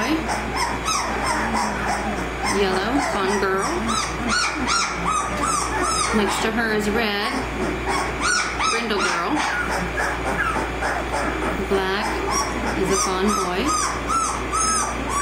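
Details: A pile of 18-day-old American Mastiff puppies, Kimi x Viho pups, keeps up a steady mix of high squeals, yips and whimpers, with many calling at once. Human talk runs underneath.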